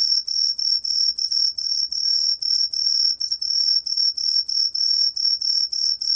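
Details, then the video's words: High, shrill cheongsol cricket song, a 2020 recording by Korea's National Institute of Biological Resources, made of evenly spaced ringing pulses with very short gaps, on a quiet background. "청솔귀뚜라미, 여러번 듣기, 곤충소리"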